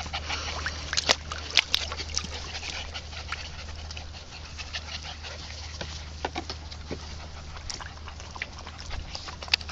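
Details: Keeshond puppy named Kya playing in a backyard pool, giving short whimpering yips amid frequent splashes and sloshing water, with a steady low hum underneath.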